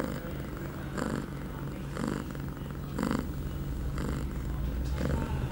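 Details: Low, even purring from Pia, a young female cat in heat at eight months old, recorded September 23, 2011 two hours after a first birth control dose; breath surges recur about once per second.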